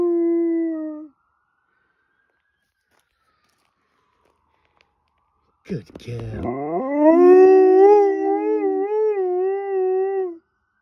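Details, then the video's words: Female dog's wolfy howl in response to a fire truck: one held tone ending, a pause, then a new howl that slides up from a rough start into a wavering, quivering sustained wail. "Dog has a good old howl at a fire truck"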